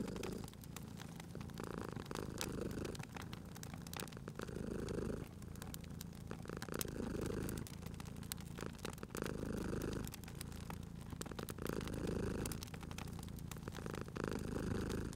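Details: Cat purring contentedly beside a crackling fire; a soft rumbling purr rises and falls in roughly six even cycles over fifteen seconds, accompanied by continual popping and hissing of burning logs.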